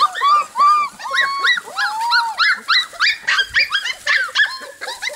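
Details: Four-week-old Golden Retriever puppies from Jelly and Gabe's litter, walking and wagging their tails, give a rapid overlapping chorus of high, thin yips and squeaky barks with rising and falling whimpering notes, several pups calling at once.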